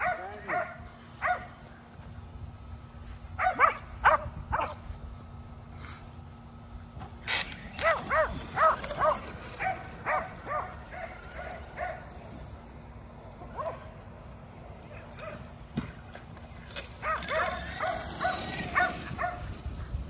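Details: Kerry Blue Terriers, a pack of five, bark while chasing an RC car during exercise at home; short yelping barks come in groups, with quieter pauses between and a brief noisy burst near the end.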